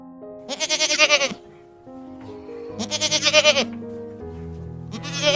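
A goat gives three loud, quavering bleats about two seconds apart, each wavering and nasal, over soft background music.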